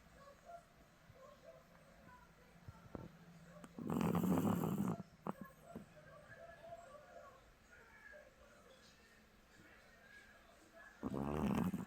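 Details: Small dog sleeping and snoring loudly: two long, rasping, low snores about seven seconds apart, each lasting around a second, with a quiet room and faint soft noises between them.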